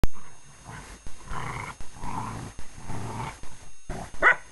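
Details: English Springer Spaniel at play, giving low, rough growling bursts in uneven pulses of about a second each, separated by short pauses, ending with a brief higher yelp.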